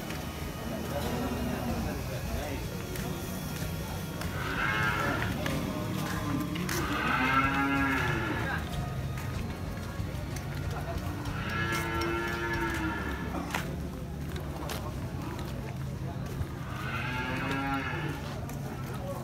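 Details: Moos from cattle at Muaro Paneh, a large cattle market in West Sumatra, Indonesia: three or four bending, tonal calls spaced several seconds apart, set against a heavy low hum and sharp clatter from the busy market.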